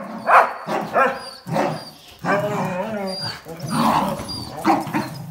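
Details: A tug-of-war over a towel between a Jack Russell Terrier and two Border Collies brings short sharp bark-like bursts, then a drawn-out rumbling growl with whiny overtones, and more snappy yelps.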